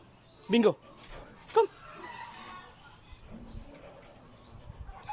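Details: Doberman Pinschers, a brown mother and her black daughter named Bingo and Bobby, give two short, loud, harsh barks about a second apart, then fall quiet while a person calls to them and faint farmyard sounds carry on behind.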